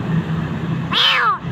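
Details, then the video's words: Kitten near death in a dark place, a Jakarta street cat, gives one high meow that sweeps up and then falls away over half a second above a low steady hum of background noise. "Anak kucing hampir mati ditempat gelap"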